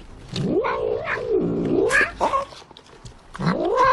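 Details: Cat caterwauling in a funny pet short, drawn-out wavering yowls that rise and fall in pitch, followed by a shorter rising wail near the end.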